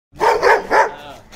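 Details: Aggressive Dalmatian dog giving three loud, harsh barks in quick succession, each about a fifth of a second long, followed by a fading echo.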